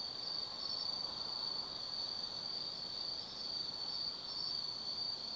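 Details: Autumn insects singing at night in Tsukimi no Mori forest, Kaizu, Gifu, Japan, near a lookout 180 m above the lit Nobi Plain; a continuous high, shrill trilling chorus holds steady throughout with a faint higher overtone.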